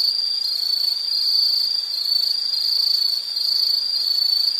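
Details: High-pitched insect trill running continuously, buzzy and even with slight wavering in intensity, against a faint natural hiss.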